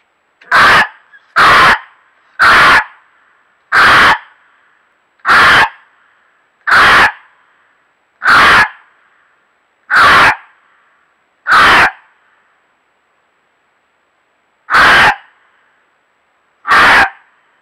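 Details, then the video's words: A male gray fox gives harsh, hoarse, loud screaming barks, repeated about every one to two seconds; the owner wonders whether it is calling to its mate. "Gray fox calls out repeatedly"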